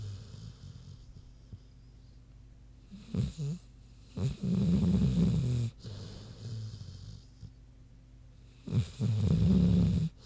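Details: Sleeping big pig named Queenie snoozing, with three long, deep, rasping snores spaced a few seconds apart and soft breaths between them.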